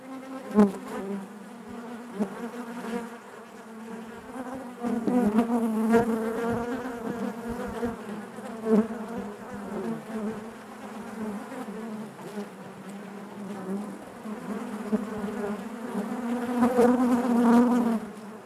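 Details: Steady buzzing of a honey bee colony in its hive, a thick low droning hum with rich harmonics that swells and fades over the stretch, punctuated by scattered clicks and knocks.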